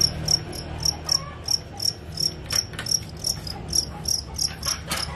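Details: Field crickets bought so a pet white-eye bird can learn the 'krik krik krik' sound; clear, evenly spaced high chirps repeat about twice a second, with faint background hum and small knocks.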